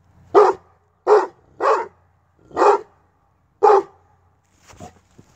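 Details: Brute, a kennel Tosa Inu, gives five heavy, booming barks, some paired closely, then a softer muffled sound at the end.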